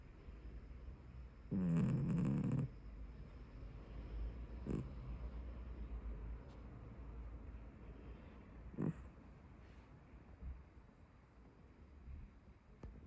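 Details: Sleeping tabby domestic cat snoring: one loud, low, buzzy rasping snore lasting about a second near the start, followed by softer, faint breathing noises and a couple of brief low puffs over a quiet room background.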